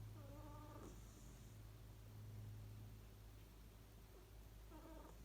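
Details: Ku, a pet cat, sleeping comfortably while snoring; two faint, squeaky, harmonic whistling tones, one at the start and one near the end, each under a second long, over a steady low indoor hum.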